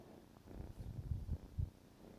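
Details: Purring from a male kitten of about 14 weeks as it wakes its owner one morning; deep, pulsing rumble with several stronger throbs close together over two seconds.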